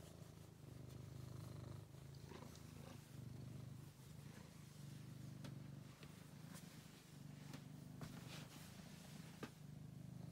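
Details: Angelus, a rescued male pet cat once found sick and very thin in a basement, purring steadily: a low rumbling drone in cycles of inhaled and exhaled phases, with faint clicks and soft handling noises over it.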